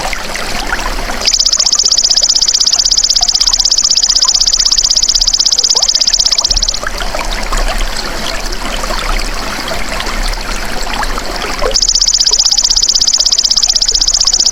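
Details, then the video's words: Golden grasshopper, used as masteran for songbirds, gives a long, piercing, evenly pulsed buzzing trill that begins sharply, halts for a stretch of trickling, stream-like noise, then starts up again at full strength. "MASTERAN BELALANG EMAS TERBAIK 2026 | SUARA ASLI PANCING BURUNG CEPAT GACOR, FOKUS & RAJIN BUNYI"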